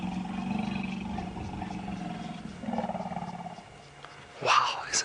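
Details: A wild African elephant at Djuma Game Reserve calls repeatedly at sunset in late October, apparently trying to locate the rest of its herd: a long, low, harmonic rumbling call over about three and a half seconds, then a man's brief voice.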